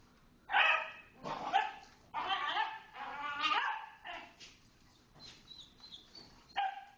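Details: Small dogs from a little dog play group romping in the big dog play area, dated 5/05/10: a quick series of sharp, yappy barks, some doubled, bursting about once a second, then fading yips and faint background squeaks.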